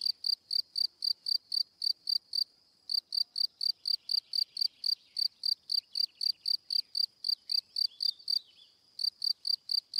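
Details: Cricket song made of quick high chirps about four per second, broken by two short pauses, with faint lower rustling sounds in the middle.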